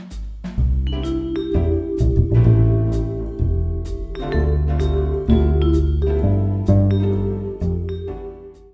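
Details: Bright vibraphone melody over percussion and a bass line, played steadily with a jazzy bounce and no animal sounds.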